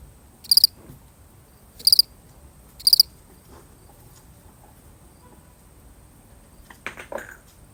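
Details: A single lonely cricket in a real recording gives three short, high chirps, each made of a few rapid pulses, about a second apart. Then it falls quiet, and a brief soft rustle comes near the end.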